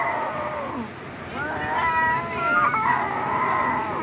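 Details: Domestic cats during a fight, giving drawn-out wavering yowls that rise and bend in pitch, overlapping and swelling toward the middle, with a short spoken question from a person just before.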